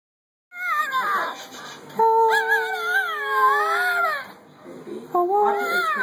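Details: Jack Russell Terrier singing: long, wavering howls that slide up and bend down, several sustained tones with a break near four seconds, then a new rising howl; a voice says hello afterward.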